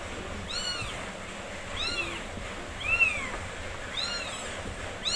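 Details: Mother cat's four-day-old kittens, all healthy and being nursed: shrill, high-pitched arched mews repeat roughly once a second, each sliding up then down, against a soft constant hum.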